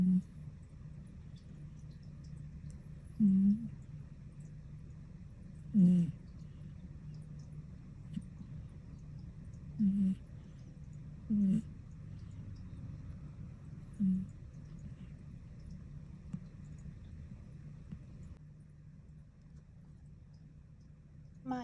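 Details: Dozing cat snoring indoors, with about six brief, low, humming snorts at uneven intervals of two to four seconds and steady faint room hum between them.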